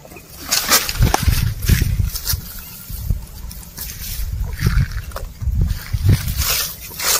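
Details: Cattle and oxen grazing as they walk. Rough grass-tearing bites and chewing crunches repeat about once a second over a low, muffled rumble, with scattered sharp rustles between the bites.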